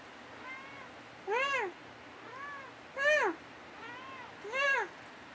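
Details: Dusty, a pet cat, talks back and forth with his owner at night indoors; soft and louder arching meows alternate, the stronger ones roughly every two seconds, each rising then falling in pitch.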